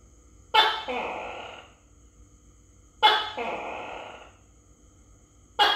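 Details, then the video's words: Tokay gecko being fed crickets, recorded close up on a phone: two loud calls about two and a half seconds apart, each a sharp harsh burst sliding into a longer, falling, throaty bark, with a third call starting at the end. "Cho Tắc Kè Ăn Dế Và Nghe Tiếng Tắc Kè Kêu"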